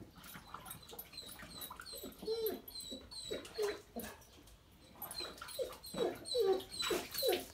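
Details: A Weimaraner whines in short, rising-and-falling whimpers, repeated quickly in uneven bursts, during water games; Weimaraner.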